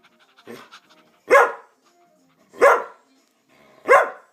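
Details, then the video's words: Samoyed barking to demand treats: three loud, gruff single barks evenly spaced about 1.3 seconds apart, with soft rustling and faint sounds before the first bark. "Barking Chewy, the Samoyed"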